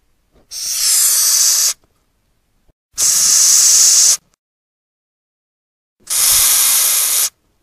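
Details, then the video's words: Madagascar hissing cockroach (Gromphadorhina portentosa), a wingless insect often kept in home breeding, giving three loud, broad breathy hisses of about a second each, roughly every three seconds, with silence between. "Odgłosy i Dźwięki jakie wydaje Karaczan madagaskarski"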